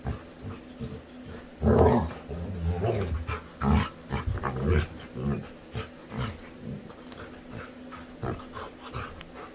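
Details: A playful female Labrador Retriever gives low grumbling growls and grumbles mixed with short whines in uneven bursts while playing with her owner indoors, faint indoor background noise underneath.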